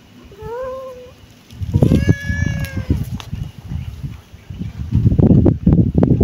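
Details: Kitten meowing: two short, high, slightly rising mews, then a longer, fuller meow amid heavy low rustling and handling thumps that continue to the end.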